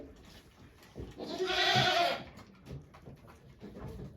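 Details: Goat on a Japanese goat farm giving birth to two kids, 3 May 2023, with volunteers watching; one strained, wavering bleat about a second long mid-clip, quiet rustling before and after.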